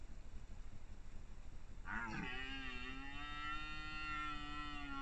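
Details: Rutting red deer stag in 2021, one long sustained roar lasting about three seconds, a deep, even, harmonic bellow that starts abruptly and holds steady against a quiet, rumbling background.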